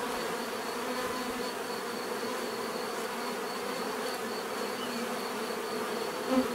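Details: Bees giving a dense, steady buzzing hum of many overlapping wingbeats with low droning bands, constant loudness throughout and a brief louder buzz passing close near the end.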